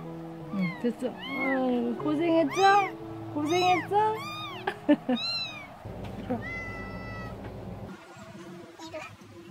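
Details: Motherless young kittens in the countryside, cared for after their mother vanished, calling during toilet stimulation. They make a burst of overlapping high, arching mews that fade into a single steady call, with a person talking softly and background music.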